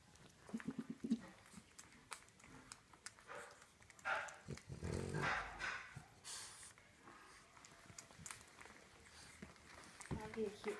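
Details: Five two-week-old French Bulldog puppies, two male, feeding and resting with their mother; short high whines and squeaks come in bursts between rustling and shuffling, with a louder broad squeal in the middle and a brief whimper near the end.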